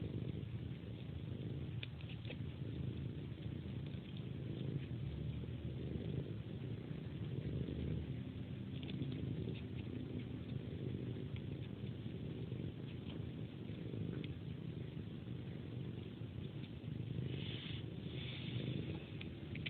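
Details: Pet cat in its bedtime routine, sucking a person's hand like a pacifier: low continuous purring underneath frequent soft wet sucking and smacking clicks, busier toward the end.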